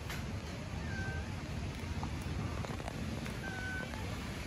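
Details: Starving homeless kittens living on the street in Istanbul, meowing for their mother cat; two thin, high, drawn-out meows roughly two and a half seconds apart over a steady low background rumble.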